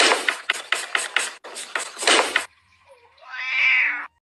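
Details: A cat gives one drawn-out, slightly rising then falling meow near the end, after a few seconds of rhythmic, thumping music beats.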